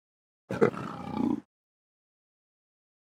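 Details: Leopard (Panthera pardus) gives a single harsh, rasping roar lasting just under a second, then falls silent.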